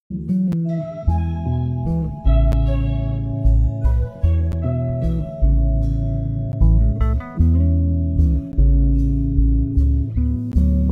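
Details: Loud music with guitar and organ chords over a heavy bass line, and no animal sounds.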